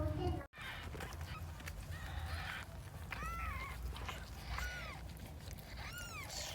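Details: Domestic cat birth in a box at home, odd-eyed Persian angora mother Huimang delivering her second kitten, filmed by phone: faint, high, arched mews at spaced intervals under quiet voices and low room hum.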